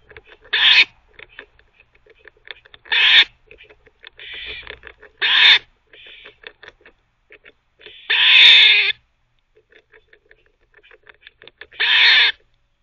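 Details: Squirrel at a teething cafe multitasking, barking and teething together: five loud, rough barks every two to three seconds, separated by rapid dry clicking and gnawing sounds.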